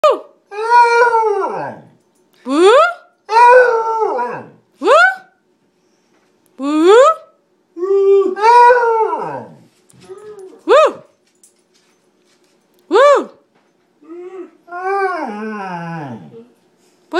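A Basset Hound howls in short, mournful bursts, each sliding up then falling away.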